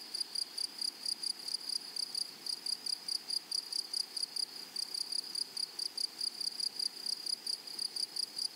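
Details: Grasshoppers on a flowery prairie: sharp, high, rasping chirps come in bursts of two or three, roughly a couple of pulses each second, against a soft insect hiss.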